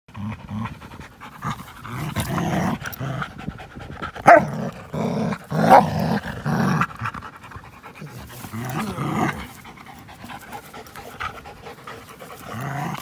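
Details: Two dogs, an American Pit Bull Terrier and a Belgian Malinois cross, at play on April 21, 2019; breathy panting bursts come in uneven runs, with louder rough exhalations around the middle and scuffling between them.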